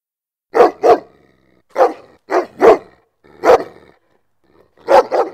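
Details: Dog barks for attracting dogs: harsh barks in pairs and singles, about every second, with short quiet gaps and no other noise.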